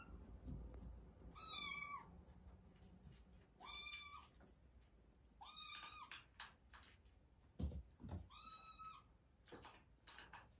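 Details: Cat calling repeatedly: four bright, high meows, each about half a second long and roughly every two seconds, with a slight downward bend, over faint thumps and a low hum.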